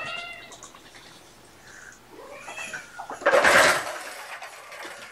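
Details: Indoor afternoon play time with mother cat Gamora and her five kittens, born April 14th: a short harmonic mew opens, a second arched, wavering meow follows near mid-clip, then a loud burst of rustling and scuffling noise.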